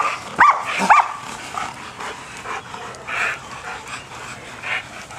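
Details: Male German Shepherd during bite-work training lets out two sharp, loud barks close together near the start, followed by quieter, muffled sounds of movement and strain.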